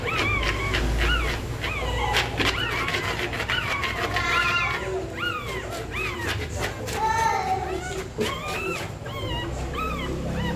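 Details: Pregnant dog nesting before birth, in labour; a long run of high, arched whimpers, some wavering, recur about four per second alongside bursts of scratching noise and a low continuous hum.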